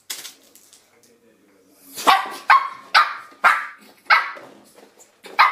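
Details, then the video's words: Shih Tzu puppy attacking a door stop indoors: after two quiet seconds of faint scuffling, six sharp, high yapping barks come roughly every half second, each bright and clipped, with a final bark at the end. "Shih Tzu puppy attacks Door Stop."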